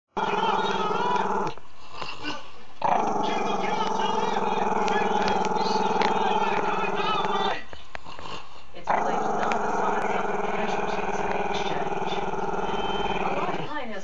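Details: Maltese-Shih Tzu pup, camera shy, growling at the camera; long continuous rumbling growls held several seconds each, broken by brief breaths, fairly loud and close.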